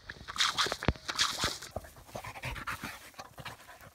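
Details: Dog panting in quick, breathy puffs, a rapid run of short airy bursts that gradually softens, with a few sharp clicks early on.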